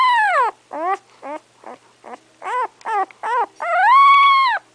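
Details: English Setter puppy about three weeks old, eyes not yet open, giving a run of about eight high, thin whimpering cries, each arching up then falling, the last one longer and more sustained.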